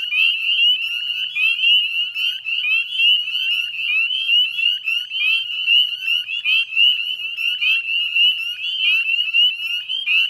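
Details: Many northern spring peepers calling together at dusk on 18 May 2020 in Chezzetcook marsh wetlands, Nova Scotia, Canada; loud, shrill, upward-sliding peeps crowd one another in an unbroken, pulsing chorus.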